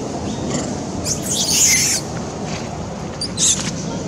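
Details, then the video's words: Poor little Beving, a monkey hurt by a hard bite from A Rey, screams in fear: a long, harsh, high-pitched wail lasting about a second, then a brief sharp squeal, with steady low background noise. "Poor little Beving got strong bite hurt by A Rey so terrible/Beving crying loudly scare"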